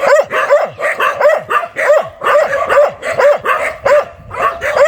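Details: Fierce dog barking hard: short sharp barks in quick clusters of two or three, repeated through the clip with brief gaps, each bark bright and rasping with a fast pitch drop.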